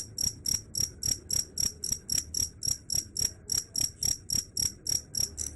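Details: Rapid, even cricket chirps, each a short shrill high pulse, roughly four per second, with soft low background hum beneath.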